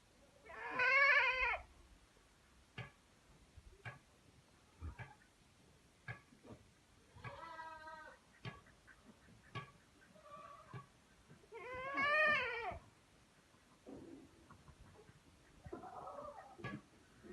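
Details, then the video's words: Saanen goats at a Pune goat farm: loud, quavering bleats at the start, middle and near twelve seconds, with softer bleats between and sharp clicks or knocks scattered throughout. "Saneen goats at Pune goat farms call"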